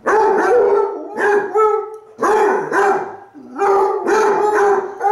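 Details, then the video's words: Two Basset Hounds, Cooper the brown one and Jahko the black one, howling back and forth at each other indoors, Cooper lying lazily on his side; overlapping mournful bays with strong harmonics, rising then holding, in bursts about a second long. "Basset Hounds Howling... Lazy Style!"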